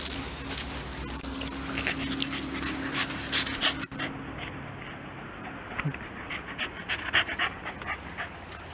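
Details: Shiba Inu named Ichi in a reverse-sneezing episode: rapid, irregular snorting breaths in quick succession, roughly three to four per second, with a steady faint hum in the background and a brief thud midway.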